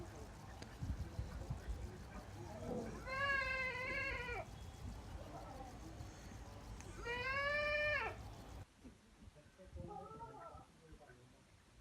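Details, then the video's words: Saanen goats at a goat farm in Pune, two loud, wavering, nasal bleats about four seconds apart, each lasting around a second, over steady low rumbling background noise and faint murmurs. "Saneen goats at Pune goat farms call"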